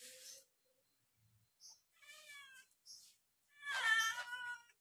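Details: Two kittens eating side by side; short, thin kitten meows break through soft clicks of feeding, ending in a louder, longer meow that wavers in pitch.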